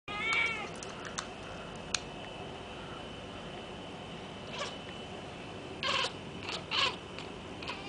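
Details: Pet cat indoors chattering at a laser light toy; a short quavering call at the start, then quiet, then a few quick stuttering chirps near the end over a steady faint hum.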